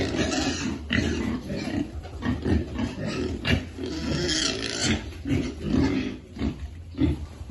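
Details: Piglets being fed: a dense run of low, overlapping grunts and snuffles with some scraping and rustling noise throughout.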